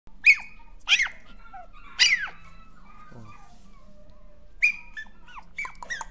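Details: Toy Poodle whimpering indoors: a few sharp, high squeaky whines that slide downward, in short bursts with pauses, then a quicker cluster of thin squeaks near the end.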